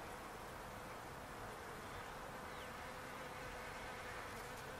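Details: Bees working a palo verde tree in a backyard, heard as a dense, steady swarm hum that holds level throughout with a soft band of drone in the mid range and no clear individual passes.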